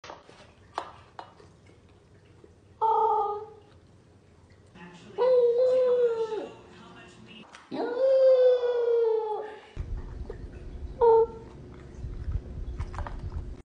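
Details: A corgi puppy howls while eating, drawn-out and wavering, some howls bending up then sliding down, between short yelps.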